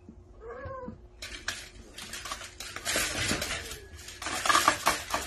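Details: A baby cat from a funny cat compilation lets out a brief, bent meow at the start. Loud clattering and rustling bursts then take over, like handled dishes or objects.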